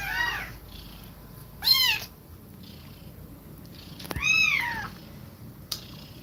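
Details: Nursing cat breathing rapidly while her kittens drink milk; three high, bowed mews at roughly two-second gaps, the last one longer and louder, plus a couple of sharp clicks.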